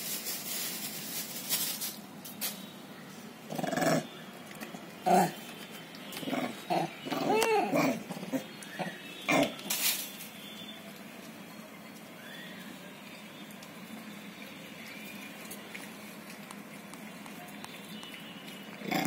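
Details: Monkeys that have come to a house to eat, eating bananas, give a run of short, harsh, grunting calls in quick bursts.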